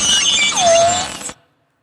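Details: A lone beluga whale, known as a very social animal, sounding several high squeaky whistles followed by a clear whistle that dips down then rises slowly, ending abruptly in silence.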